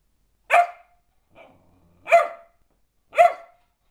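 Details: Three spaced, high-pitched barks from Sophia, a four-month-old springer spaniel puppy going slightly crazy, with a faint soft rustle between the first and second.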